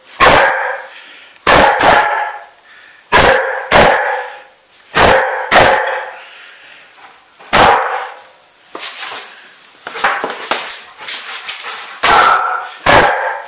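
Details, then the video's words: Young Old English Sheepdog, a 12-month-old female, giddy while being chased. Sharp barks ring out singly or in pairs about every one to two seconds, broken by a busier patch of quick yips and scuffling. "Bella the old english sheepdog getting giddy"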